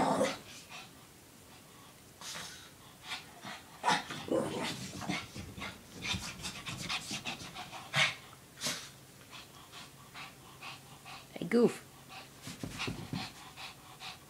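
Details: Shih Tzu named Lacey, a pet dog, acting silly and doing zoomies while playing with her pink puppy blanket; quick breathy panting bursts and snuffles come in uneven runs, with rustling and soft thumps of play between them.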